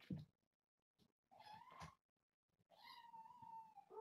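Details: Kittens of a young calico mother play-fighting indoors. A thump, then two sustained, steady meows, the second long and level, over low rumbling background noise.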